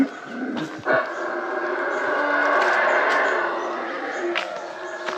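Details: A howler monkey calling close by in jungle near Flores, Guatemala, on a GoPro: a continuous, gravelly roar that swells in the middle and holds steady, with a few short knocks and rustles.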